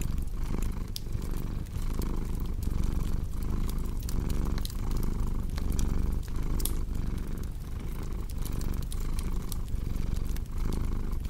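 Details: Steady low purring of a cat, pulsing rhythmically about once or twice a second, with crisp crackling fire sounds sprinkled over the top.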